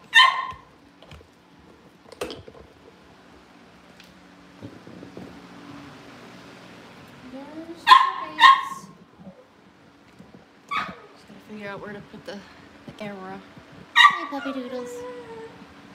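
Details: Cavalier King Charles Spaniel puppies at a home kennel, awaiting family pick-ups: a few sharp high barks scattered through, with whiny tonal yelps and human voices in between over a steady low hum.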